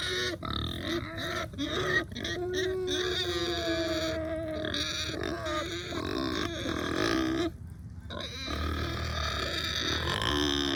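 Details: Hungry domestic pigs on a small new farm calling out: long drawn, wavering squealing whines that rise and fall almost continuously, with brief breaks, over a steady background hum.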